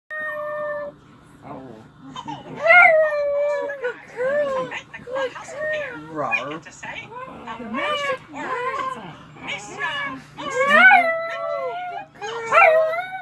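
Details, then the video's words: Little female dog singing along to the Mickey Mouse Clubhouse theme: a run of whining, wavering howls that swoop up and down in short bursts, some climbing to high yelps, with brief pauses between phrases. "Mickey mouse clubhouse theme, dog singing"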